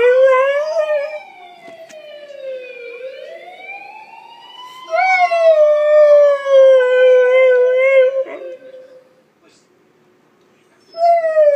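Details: Siberian husky imitating a police siren: a wailing siren sweeps down and back up, then a loud, steady, slightly falling husky howl holds for about three seconds before silence and the start of another howl.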